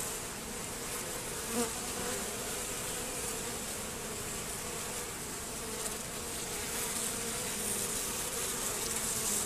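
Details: Honey bees robbing at a hive entrance fitted with a Z-shaped screen and reduced entrance: a dense, continuous swarm buzz with steady hum bands near 250 and 500, faint higher whine, no clear pauses throughout.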